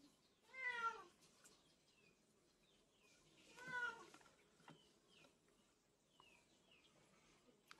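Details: Curly-coated baby male Texel guinea pig lets out two strong rising-falling squeals about three seconds apart, followed by fainter high chirps and light background rustling.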